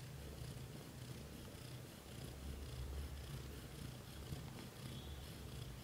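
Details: Purring from a British shorthair household where kittens grow from birth to 30 days; a deep pulsing rumble continues steadily throughout, with slight swells in loudness and quiet background hiss.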